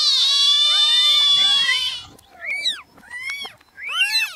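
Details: Several newborn kittens calling at once: a dense two-second burst of overlapping high mewing, then short separate rising-and-falling mews after brief pauses.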